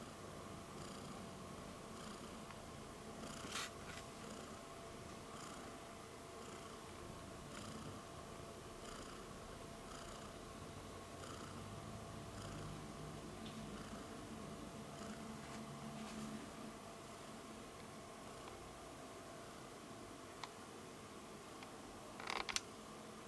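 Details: Purring cat grabbing at the camera: soft, steady, low purr running throughout, with a few faint clicks and handling bumps.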